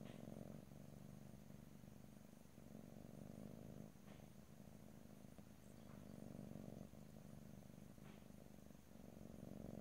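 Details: Domestic cat purring steadily close to the microphone, a low rumbling drone with soft pulses and breath-like swells, broken by brief pauses every couple of seconds; no talking.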